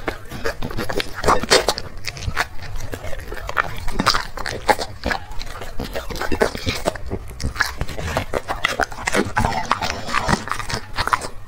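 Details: A black dog chews through chicken and vegetables from three plates: steady run of crunchy bites and smacking mouth sounds, with brief pauses and faint background voices.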